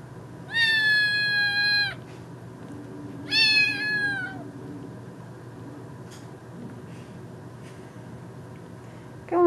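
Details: Young female kitten indoors, recently bathed after a flea problem, meowing: two long, level, harmonic-rich meows about a second each, separated by roughly two seconds, then a quiet stretch with a brief rising cry at the very end.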